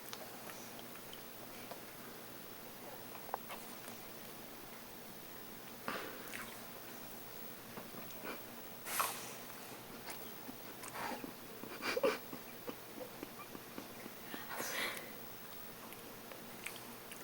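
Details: Bichon Poo dog named George sneezing and snorting, a few short, sharp, noisy bursts spaced roughly three seconds apart, quiet between them, with faint soft rustling in the background.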